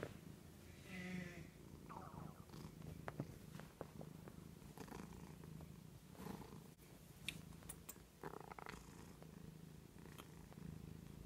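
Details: Domestic cat purring while resting on the arm of a couch indoors: a steady, low rumbling purr that pulses continuously throughout, with a few soft clicks and rustles above it.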